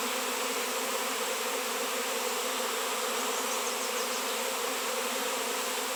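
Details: Many honey bees in a swarm drawn to a 7 lb raw shungite piece; a loud, level, many-winged hum fills the whole stretch, steady buzzing with no pauses.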